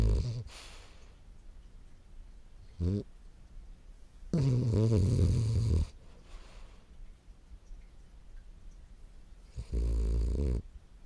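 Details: A sleeping French Bulldog named Morio, 10 months old, snores: low, grating rumbles, with a brief snort followed by a longer snore of about a second and a half and another near the end, separated by long quiet pauses.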